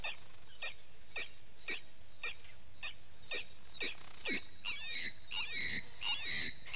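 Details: Vervet monkeys at a morning waterhole, Gowrie dam on Djuma Game Reserve, Sabi Sand Wildtuin, South Africa, via a live camera; short chirps with falling sweeps, quickening into overlapping squealing calls toward the end, over low rumble.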